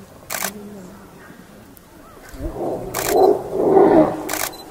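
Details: Tigers mating in Pench reserve forest, a rare moment in the wild. A loud, rough, low growling roar swells near the end and peaks twice, with sharp camera shutter bursts and faint low murmurs earlier.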